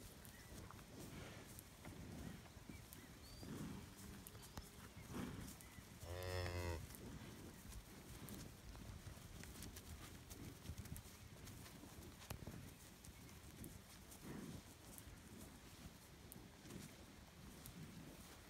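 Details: Scottish Highland cattle bulls kept outdoors on a farm in Finland, 25 June 2018; one rich, harmonic moo lasting about a second in the middle, set against steady rustling and low rumbling background noise.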